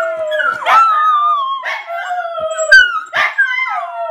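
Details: Pet Miniature Schnauzer howls back at howling playing on Facebook, giving three drawn-out wailing notes about a second apart, each starting with a sharp yelping onset and then sliding slowly downward in pitch.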